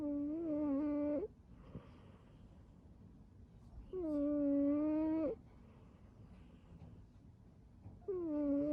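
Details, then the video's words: Cat curled up asleep and snoring: drawn-out, whistle-like tonal snores, each about a second long and steady in pitch, return roughly every four seconds with quiet breathing pauses between, indoors. "He’s all curled up snoring."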